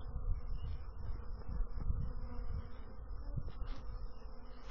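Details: Many bees give a continuous low, droning buzz that swells slightly and fades, with brief soft knocks.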